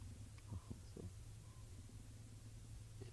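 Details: At sunset on 19 August 2017 in Djuma Game Reserve, a female leopard gives low, rumbling growls and chuffs in a tense standoff with another leopard, trying to avoid being injured or attacked again.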